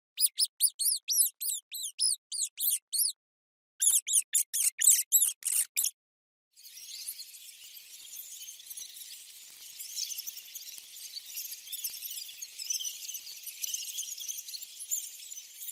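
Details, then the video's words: Mouse giving rapid series of high, thin squeaks, each a quick arched chirp, in two bursts of about a dozen notes, followed by faint high hissing noise. "Mouse Sound - Mouse Sound Effects"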